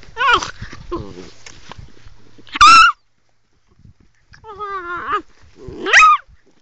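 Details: Angry young female Sloughi puppy producing rising, wavering whines that break into loud sharp yelping barks, several separate outbursts over a few seconds with short pauses between them.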